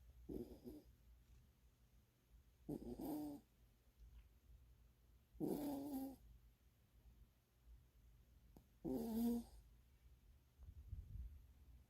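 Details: Female mixed-breed puppy born December 2020, deeply asleep and snoring now and then; four short, raspy, humanlike snores roughly every three seconds, separated by near silence, indoors.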